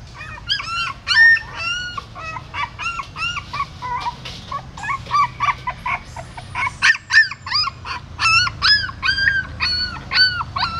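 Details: In Siem Reap, a mother dog relocates her newborn pups from a pagoda stupa using her mouth. Sharp, arching high whines repeat rapidly, softening briefly in the middle before loud squealing resumes.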